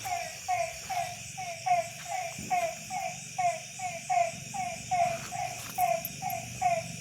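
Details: Village frogs at night after rain in December, evenly spaced short twangy croaks about once per second, several callers alternating, with soft low background murmur.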